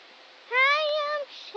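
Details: Italian Greyhound named Dodger singing his rain song: one drawn-out, clear howling note that slides up slightly, holds steady for about three-quarters of a second, then stops abruptly.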